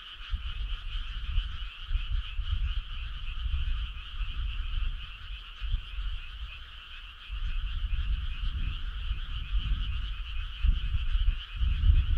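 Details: Summer-night frog choir in the countryside: unbroken rapid pulsed calling from many frogs, steady in pitch, with rumbling low noise rising and falling.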